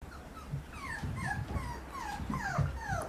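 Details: Female Papillon puppy, 117 days old, white and red sable coat, from Chiba, Japan, recorded on 13 May. Thin, high whines slide downward in quick succession, several a second, over a low indoor rumble.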